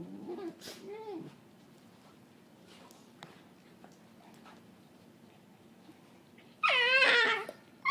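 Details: Playing with her companion dog Bane, Cookie gives strange gremlin-like noises: a few bent, whiny cries early on, then a quiet stretch of soft shuffling, and finally a loud, high, wavering squeal near the end.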